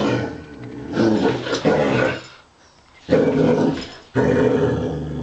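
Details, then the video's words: Basset Hound named Wilma growling while fighting a robot dog in play; two long rumbling growl bouts with a quiet gap between, then a third starting abruptly. "Basset Hound verses robo dog!"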